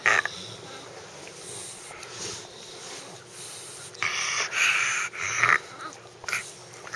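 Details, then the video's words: Justice, a pet dog, making a weird noise: soft breathy background broken by several loud, raspy wheezing bursts near the end, each lasting under a second. "Justice making weird noise"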